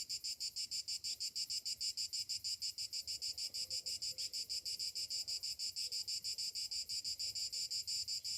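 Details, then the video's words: Cicadas singing on a summer morning: an unbroken, high, sizzling drone that swells and dips in very regular pulses, a little over three per second. "Morning summer cicadas sounds"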